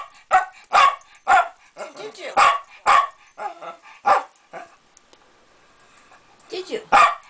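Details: Pet Jack Russell Terrier barking in a quick, uneven series of sharp barks, roughly two per second, with a short pause near the middle before two final barks.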